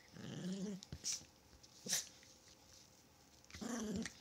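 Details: Playing Chihuahua growls briefly and low near the start, then again at the end, with sharp clicks and soft handling noises in between.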